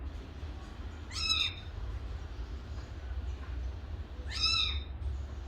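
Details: Kitten mewing twice, about three seconds apart: short high arched cries with stacked harmonics, over a steady low hum.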